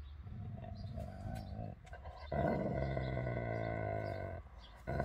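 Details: Dogs in physical contact: Labrador Beertje, a female over 12 years old, with two-year-old German Shorthaired Pointer Dakota. Low, harmonic growling runs in two long stretches, with a brief break between them, while small birds chirp faintly in the background.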